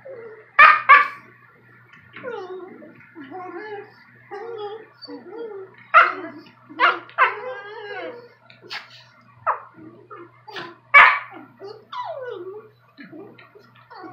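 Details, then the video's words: German Shepherd-Rottweiler mix puppy and a Maltese arguing in the morning; sharp yappy barks in quick pairs and clusters, interleaved with squealing whines and grumbling moans, loud and irregular indoors. "German sheppard Rot mix puppy and maltese arguing"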